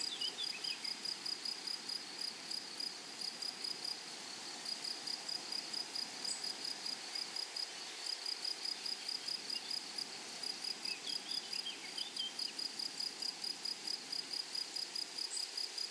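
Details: High, dry pulsing buzz from grasshoppers in flowery prairie grassland, with bursts repeated rapidly and continuously. Occasional faint, higher chirps from other small callers drift in.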